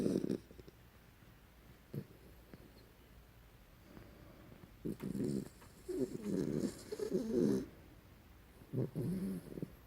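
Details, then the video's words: Sleeping pet dog named Nininha Maria snoring: low, rough rumbling breaths in irregular bursts, one near the start and a longer cluster around six to seven and a half seconds, with quiet pauses between. "Dog Dormindo roncando sleeping"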